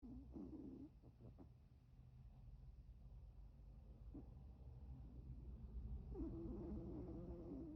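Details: Milton, a pet Chihuahua, asleep with his eye twitching, gives a low, breathy snore with a faint whistled tone near the start, then a longer, rougher snore building toward the end over a steady low hum.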